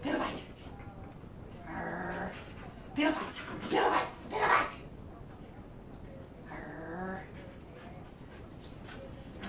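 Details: Old English Sheepdog playing a pillow fight with its family in Flower Mound, Texas; two drawn-out, wavering whining cries near the start and end, a cluster of louder rough yips in the middle, with a person talking.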